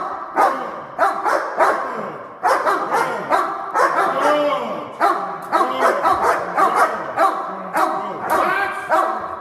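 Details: Two dogs in protection training perform a synchronised hold and bark on command, giving loud, rapid barks that overlap continuously, several each second, with no pause across the stretch.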